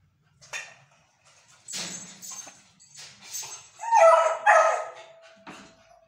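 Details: A female Beagle puppy howls for her favourite food. Scattered breathy whines build to two strong harmonic howls near the end, one trailing into a thin, steady whine that fades out.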